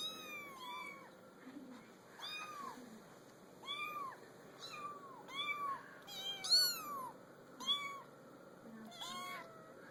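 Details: Several kittens on a small pool table mew repeatedly, short arched cries coming roughly every second or two, some higher and squeakier than others, over a low background hum.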